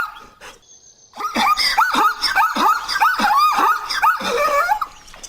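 Zebra barking: a rapid run of about ten yelping, rising-and-falling notes, almost dog-like, delivered in a steady four-second burst after a brief quiet start.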